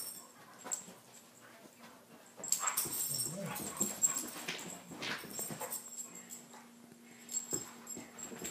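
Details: Two dogs locked in a fight, giving a quiet start and then a run of whiny yelps and throaty grumbles with scuffling, a faint voice and a constant background hum.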